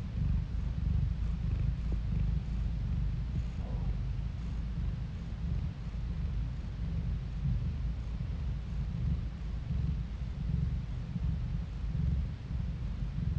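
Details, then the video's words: Softer cat purr recorded on a phone, a quiet steady low rumble with a few light clicks over a faint background hiss. "스트레스가 풀리는 고양이 골골송 asmr No talking asmr cat purring"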